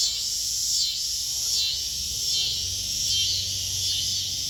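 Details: Cicadas singing in a backyard near kittens, a dense high-pitched buzzing drone that swells and fades in waves about once a second, with a low hum underneath.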